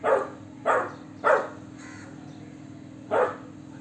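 A Golden Retriever puppy gives short, deep, adult-sounding barks in a loose series.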